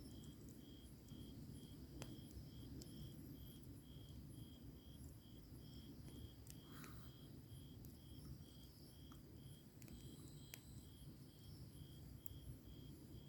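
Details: Grass insects on a summer night beside a crackling campfire: a steady, high pulsed chirp repeating roughly twice a second throughout, over a low rumble with sharp pops of burning firewood.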